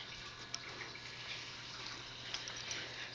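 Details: Running water in a small indoor room, with faint drips and a steady low hum.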